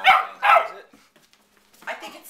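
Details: Domestic dog barking at puppies indoors: two sharp loud barks half a second apart, a quiet pause, then a softer third bark near two seconds.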